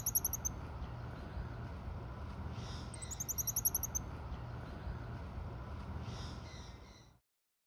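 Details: A Goeldi's monkey (Callimico goeldii) at Assiniboine Park Zoo in June 2023 gives very high, thin chirping trills in short bursts over a steady low rumble.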